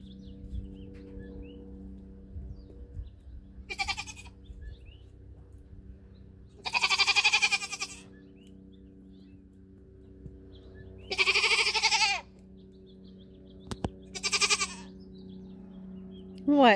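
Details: Nigerian Dwarf dairy goats during their first minutes near a buck for breeding, New Year's Eve 2020; four loud wavering bleats, two long and two shorter, spaced a few seconds apart, with faint bird chirps and constant low hum.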